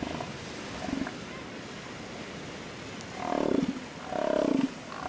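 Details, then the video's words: Elephant seals fighting over females; two low, rough, pulsing roars around the four-second mark, each about half a second long, over steady wind or surf noise. "elephant seal fight"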